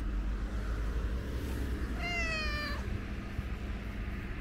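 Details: Tabby street cat sitting on a bench outdoors, giving a single short meow that wavers slightly, heard over a steady loud low rumble of traffic or a passing train.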